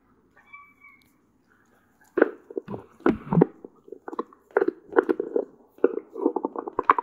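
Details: Cola, a one-year-old female Doberman Pinscher living in California, USA, gnawing on a deer antler indoors: a quiet start, then sharp crunching clicks and grinding scrapes in dense, irregular clusters.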